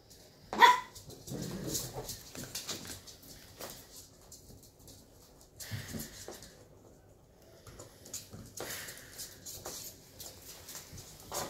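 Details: Rough play between two Shetland Sheepdog puppies aged 11 weeks, inside a room: one sharp high yip near the start, then scattered scuffling, thumps and soft rustles with long quiet gaps.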